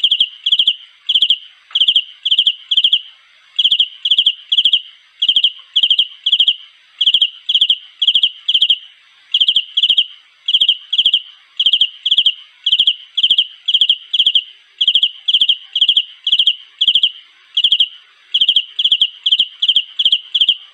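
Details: Cricket calling for a mate: a steady series of clear, high, ringing chirps, each made of three or four quick pulses, repeated about twice a second without pause for the whole stretch; no other sounds.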